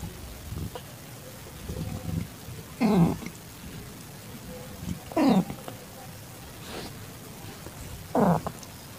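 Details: Calico tabby cat in heat accepting a calico kitten, 8 September 2021 at 6:30 PM: three short meows that drop steeply in pitch, about two and a half seconds apart, with soft murmuring in between.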